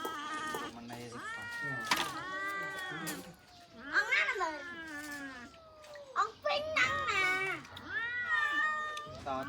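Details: Several cats waiting for food meow repeatedly: a run of wavering, whining meows, some rising and some falling, overlapping at times with people talking in Khmer.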